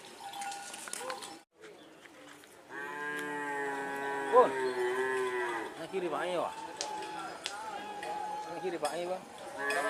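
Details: Madura racing cattle during karapan sapi practice at the Asemanis track, Pamekasan, East Java, Indonesia; a long, low, drawn-out moo lasting over two seconds, followed by fainter lowing over background crowd chatter.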